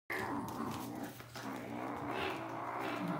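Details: Kitten Moop, about 12 weeks old and from a shelter in North Alabama, growls while guarding his favourite yellow toy. A continuous, rough, low growl holds steady for about three seconds.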